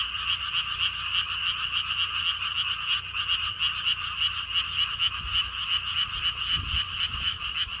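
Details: Frogs calling together at Siheung's lotus theme park by a stone wall path in Korea; a continuous pulsing chorus of rapid croaks, with a few low thumps or wind gusts near the end.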